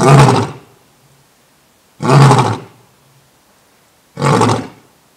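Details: Male lion newly arrived at Thoiry Zoo in France gives three powerful, gravelly roars at a steady spacing of about two seconds, each short burst dropping off into quiet breathing before the next.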